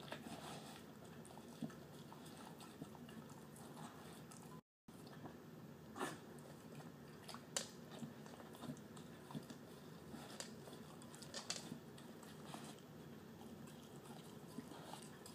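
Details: A terrier mix dog, a male, eats canned food and kibble for dinner inside; continuous low, moist mastication and biting, broken by crisp clicks of teeth or tags on the dish and a brief silent gap early on.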